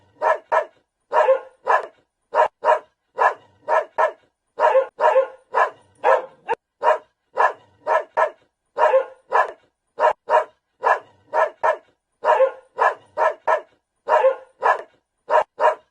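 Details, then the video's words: A dog keeps up steady barking, about thirty-five sharp, gruff barks over sixteen seconds, mostly in quick doubles and triples. "Funny farm animals sounds: - Cat, Dog"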